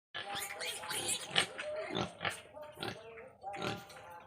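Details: Crossbred wild boar at feeding time, rough broadband grunts and snorts in irregular bursts about once a second, with a person talking over them throughout.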